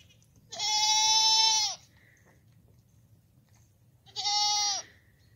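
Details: Goat bleating twice, each a loud, harmonically rich, steady, nasal cry: the first lasts over a second, the second is shorter and comes about three seconds later, over a quiet background.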